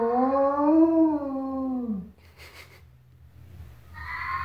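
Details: In the morning before breakfast, a wolfdog calling for food gives a smooth, rich howl that rises gently and then slides down before fading, while a fennec fox howls back to it.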